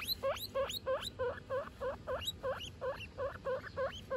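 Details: Guinea pig family of mother Butter and babies Lion, Tofu and Mochi: rapid series of high rising squeaks, about three per second, each sweeping upward with bright overtones, steady and insistent over a low background hum.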